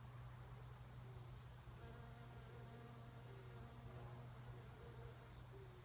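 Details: Bumblebee (Bombus ignitus) feeding on nectar in wild rose (multiflora rose) flowers gives a steady, deep wing buzz that drones on without a break.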